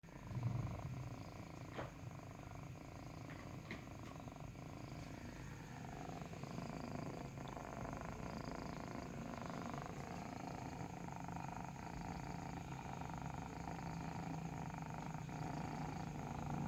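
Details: Kitten purring while nursing: a steady, low, rumbling purr with fine rapid pulsing runs through the whole stretch, with a few soft clicks and rustles near the start.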